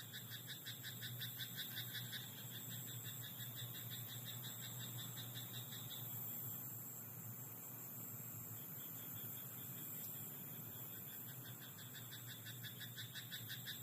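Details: Croaking frog in a rice paddy after dark, producing quick clicking pulse trains for about six seconds, then fainter, sparser croaks later. A high steady whine and a low droning hum fill the background.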